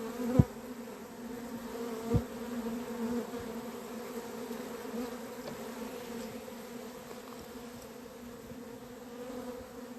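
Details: Swarming honey bees at a beekeeper's hive on 28 April 2026, after the queen was put into the hive and scout bees found her. Continuous even drone in stacked harmonic bands, with two sharp clicks in the first seconds.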